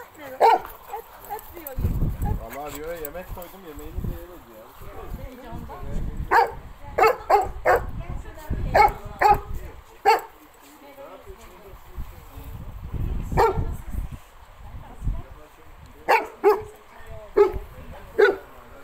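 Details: Nero and Rio, a Cane Corso and a Pitbull Terrier, at play: sharp barks scattered across the whole stretch, singly and in short pairs, between softer rumbles and wavering whimpers.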